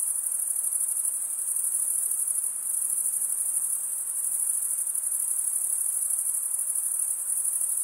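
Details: Male crickets stridulating by drawing one wing across the comb-like teeth of the other produce a steady, piercing high ringing chorus that dips slightly in loudness midway, then resumes at full strength.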